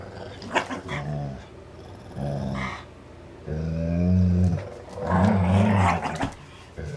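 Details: Two dogs, Dane and Polo, playing with a rope toy; low rumbling growls in bursts of about half a second to a second, several spread across the stretch, with faint scuffling between them.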